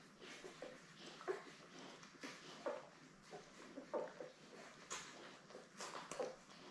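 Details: Seven Labrador Retriever pups born May 24, 2021, with their mother Belle, indoors on a 3 June puppy cam stream: scattered brief nasal squeaks about once a second against soft shuffling and low background noise.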